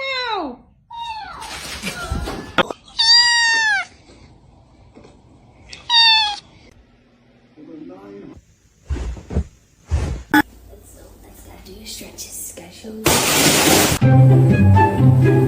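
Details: Cat from a funny kittens compilation mewing in a run of short, bright, downward-bending meows spaced a second or two apart, followed by clatter, voices and a loud burst of noise near the end.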